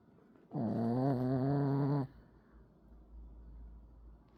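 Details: Pekingese snores in its sleep, a single loud, rattling, vibrating breath of about one and a half seconds, followed by quiet low breathing in a small room.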